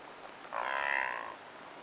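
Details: A blue wildebeest (brindled gnu) in Kruger National Park gives a single nasal, honking grunt lasting under a second, the "gnu" call the species is named after.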